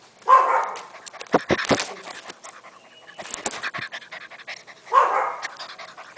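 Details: Six-week-old Golden Retriever puppy: a sharp bark at the start and another roughly five seconds later, with scuffling, clicks and handling noises filling the gap between them.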